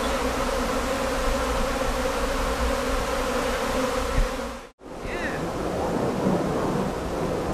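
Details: Swarming colony of British honey bees on the move at a visitor centre, tended by a local beekeeper; dense steady droning hum with low rumble throughout, briefly cut to near silence midway, then the buzzing resumes.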